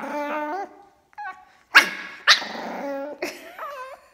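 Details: A fawn, black-masked Pekingese puppy protests after his feline sister finds his food bowl, making wavering, harmonic whines and yowls broken by sharp little barks.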